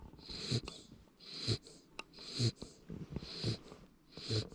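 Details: Labrador Retriever puppy asleep indoors, snoring: soft breathy snores repeated roughly every second, each with a low rumbling pulse and a hissing upper breath, steady and rhythmic throughout.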